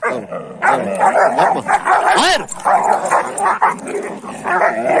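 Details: Kangal shepherd dogs in an ongoing fight: dense, harsh snarling and growling run almost without pause, broken by sharp yelps and a rising whine near the middle, all loud and close.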